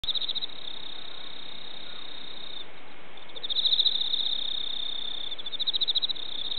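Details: Cricket rubbing its wings at night during a spell of scorching hot days, an autumn mood under the moon; a steady high pulsed trill runs throughout, swelling into louder rhythmic bursts mid-way and near the end over a low background hiss.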